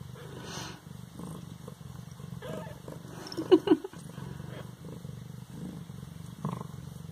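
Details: Baby Siamese kitten at 18 days of life, Bas-Saint-Laurent, purring softly with a rapid low throb, then giving a sudden loud short mew about halfway through, followed by more gentle purring and handling rustles.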